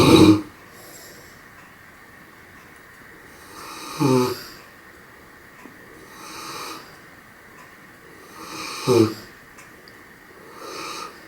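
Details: Sleeping dog Raissa snoring more softly, with faint breathy rumbles and two sharper snorting inhalations near four and nine seconds, in a quiet room.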